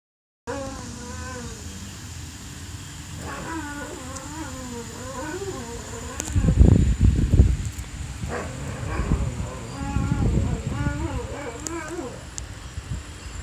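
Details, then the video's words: Domestic dog singing, making a long series of wavering, rising and falling howl-like tones, warbling and yodel-like, with low rumbling noise in the middle and a steady hum behind. "Crazy singing dog."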